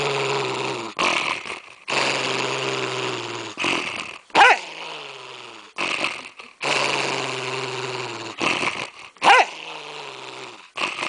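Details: Dog guarding a candy cane chew bone, growling at the person nearby: sustained low rumbling growls lasting a second or two each, separated by short gaps, with sharp snarling yips twice.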